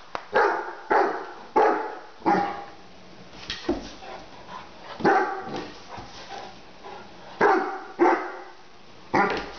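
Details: Great Dane puppy Lilly, ten months old, barks at a lid lying on the kitchen floor; sharp, loud barks in an uneven rhythm, about ten in under ten seconds, separated by quiet pauses.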